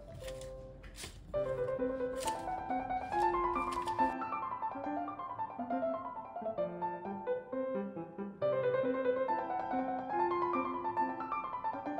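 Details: Solo piano playing a bright classical melody, Mozart's variations on Twinkle Twinkle Little Star, with running notes and repeated phrases and no animal sound.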